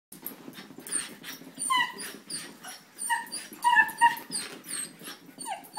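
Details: Sheltie and a 9-week-old German Shepherd puppy playing together; short high yelps and whining yips come in quick bursts, some with a falling whine, over soft scuffling and panting noise.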